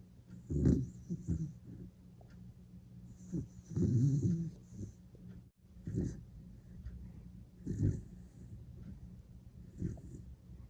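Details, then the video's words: A Dachshund asleep snoring like a wild boar, deep rasping grunts and wheezy snorts at irregular intervals over about ten seconds, some breaths longer and rumbling, others short puffs. "강아지가 멧돼지 코골이 소리내며 자요"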